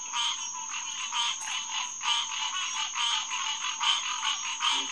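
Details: Night chorus of green tree frogs at SMNWR's Headquarters Pond, June 2, 2021: swelling waves of dense nasal calling, about seventy notes a minute, ending with a brief low croak.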